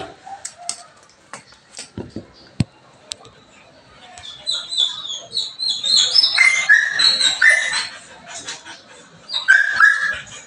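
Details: Belgian Malinois whining on a morning of cleaning: after sharp knocks and clatter, a long run of high-pitched, quavering whimpers and squeaky yips rises and falls, pausing briefly before a final shrill burst.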